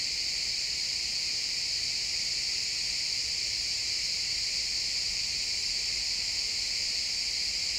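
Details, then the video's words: Sunset cricket chorus in a pine forest, real-time stereo recording: many insects blend into one unbroken high, buzzy trill that holds steady for the whole stretch, with only soft low forest ambience underneath. "Cricket sounds in the pine forest"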